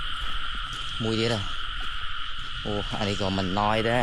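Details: Frogs calling in rice fields in the rain during frog catching: two clusters of low, twangy croaks repeated rapidly, separated by a pause, over a continuous high droning chorus.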